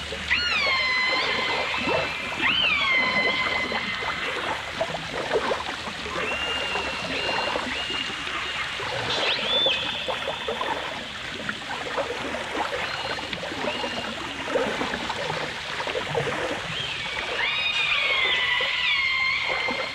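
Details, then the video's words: Dolphins, recorded alongside orcas in a 1989 stereo recording: loud, sliding whistles with stacked harmonics, some rising then levelling off, over steady crackling clicks and trickling, watery underwater noise. "The Enchanting Sounds Of Dolphin Song (Dolphins & Orcas)"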